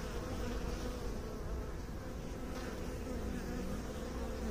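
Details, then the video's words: Bees humming in a dense, steady drone, a low continuous buzz with a faint tonal band running through it and no breaks. "Bee song"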